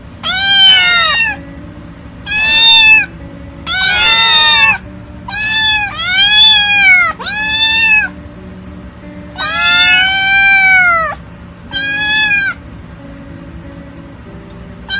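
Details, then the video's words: Kittens in a compilation described as hungry, scared, lonely and angry, giving about nine loud, high meows. Each rises then falls in a rich harmonic arch, some drawn out or doubled, with short gaps between them. Soft steady tones sit underneath. "Adorable kittens meowing"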